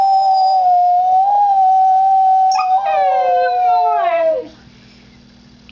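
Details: Sustained, even howling from Max, a Husky mix, holds on one pitch. A second, rougher voice joins partway through and slides downward. Both fade, leaving near silence with a faint hum.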